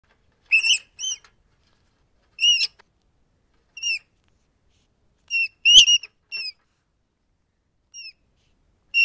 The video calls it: Ratten Geräusche - Welche Geräusche machen Ratten?